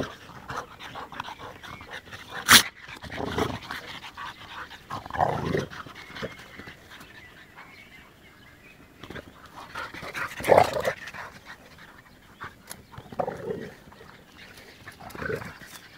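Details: Panting dog from a set of American Bulldog, French Bulldog and Bull Terrier: soft breathy huffs in spaced groups, broken by two sharp clicks or knocks, with quieter stretches between.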